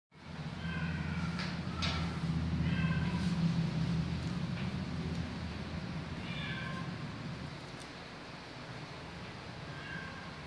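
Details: Bengal cat giving several short, thin meows with faint harmonic bands, spaced irregularly over the clip, above a steady low hum like an engine or appliance that fills the background throughout.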